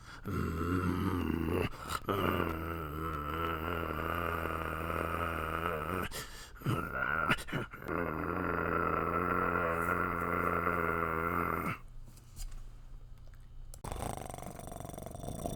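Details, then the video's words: Long sustained puppy growl, a deep rumble with wavering, moaning overtones lasting several seconds at a time, briefly interrupted by short pauses and clicks, with a quieter stretch near the end. "Puppy Growling Sound | Puppy Growling Sound Effect | Puppies Growling"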